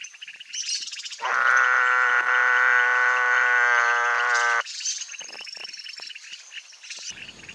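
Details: Mueller's termite frog calling from a pond in the breeding season, a pair laying eggs: one loud, steady, buzzy bleat held for about three and a half seconds, rich in harmonics, with faint chirps and insect noise around it.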